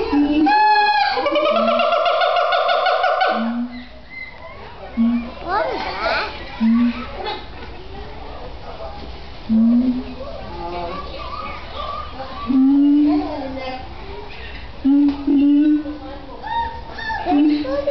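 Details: A siamang at Oregon Zoo gives loud, rich whooping calls that rise in pitch, followed by shorter hooting notes.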